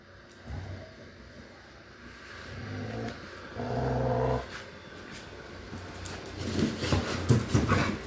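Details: Pit bull fight: two drawn-out, voiced growling moans, the second longer and louder, followed by bursts of scuffling, clattering and broadband noise.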